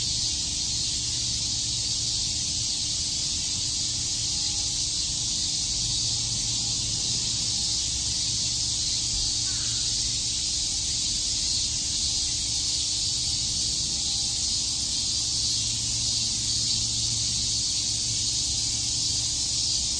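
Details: Summer-day cicada chorus in Tokyo's Shakujii Park: a steady, sizzling high-pitched wall of sound lasting the full twenty seconds, evenly loud, with faint low hum and murmur beneath.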